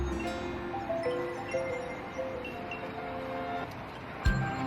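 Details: Music plays throughout with sustained tones and chime-like notes, a soft thump near the end, and no animal voice.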